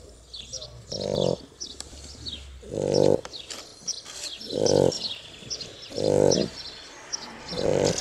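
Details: Snoring from two sleeping Shar Pei puppies, worn out from play: five steady, buzzy low snores spaced about every one and a half to two seconds, with soft high chirping behind them.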